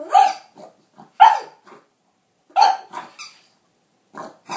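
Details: Pug barking during a face-off with a capybara, filmed on an iPhone 4S: short, harsh, hoarse barks in irregular bursts about a second apart, with softer huffs and snorts between them.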